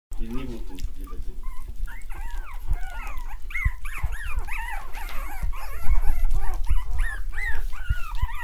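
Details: Australian Terrier puppies at a breeding kennel, a crowd of high, squeaky whines and yelps, each arching up then down, overlapping in a constant busy chorus, with low rumbling noise underneath.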